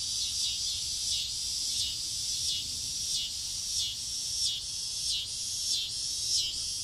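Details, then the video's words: Cicadas calling from trees in a front yard on a summer evening just before dusk, a loud high buzzing drone that pulses in waves roughly every half second to second, continuous throughout. "Noisy cicadas on a summer evening"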